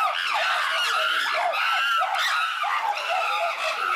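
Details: Chimpanzees in an uproar at Tama Zoological Park, Japan, in June 2022: several captive apes screaming at once, a dense loud chorus of overlapping high, shrill, wavering shrieks that rises and falls without pause.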